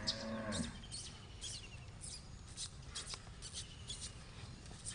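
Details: Jallikattu bull in intensive training at Trichy, Tamil Nadu, on 03.01.2020 ahead of the Pongal-season Jallikattu contests; a short, low, harmonic moo opens, lasting about half a second, then scattered clicks, rustling and steady hiss follow.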